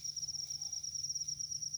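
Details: Field cricket in a rice field, giving a steady, high-pitched chirping trill made of rapid, evenly pulsed beats that run through the whole stretch, over a faint low hum, with a brief click at the very end.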